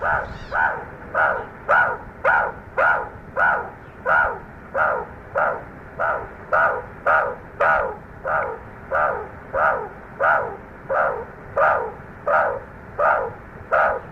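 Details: At sunset a wild Ungulungu meerkat group huddles and grooms before sleeping one after another; a long even run of about twenty rasping, harmonic calls, each falling slightly, spaced roughly every 0.6 seconds over a quiet background.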